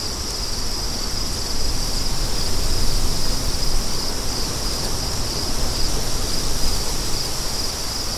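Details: Strong gusting wind with a deep, swelling roar, while a thin, steady high cricket trill carries on above it.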